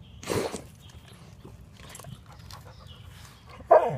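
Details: Basset Hound sniffing and snorting: a sharp, breathy snort at the start, quiet snuffling in between, then a louder, more voiced snort with a brief whine-like tone at the end.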